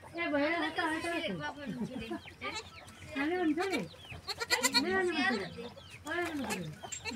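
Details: Young goat kid bleating while drinking milk, with a run of wavering, nasal cries rising and falling, some in quick succession, and human voices talking over them in the background.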